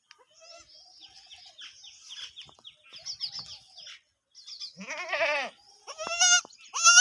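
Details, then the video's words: Kid and adult Desi Sindhi goats: several seconds of busy chirping from small birds, then two loud, wavering, quavering bleats rich in overtones near the end, the last one rising sharply. "Goat Baby Sound Desi Goat Baby And Big Goat Desi Sindhi Bakri"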